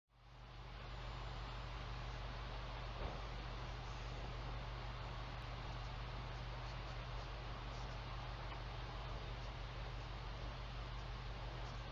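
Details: Steady wind and rushing broadband noise with a low constant hum underneath; no animal calls stand out.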